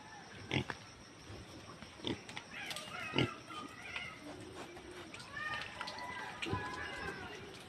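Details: Native pigs kept by growers give scattered harsh grunts and short squeals, several seconds apart, over a steady background hum with faint voices in between.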